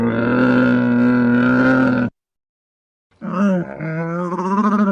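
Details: Camel moaning in a long, even, deep groan for two seconds, then after a pause breaking into a rougher, gurgling, wavering bellow that pulses as it continues.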